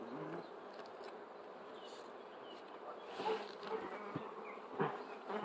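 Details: Honey bees at an open hive as the beekeeper pulls out dark, blackened combs to move toward the edge; a steady, dense low buzzing hum with occasional louder swells and clicks of handling.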